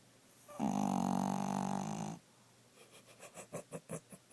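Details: A 12-year-old male Pomeranian weighing 5 lb snoring while asleep indoors; one long harsh, rumbling snore lasting over a second, followed by a series of short, quick, wheezy breaths repeating several times per second.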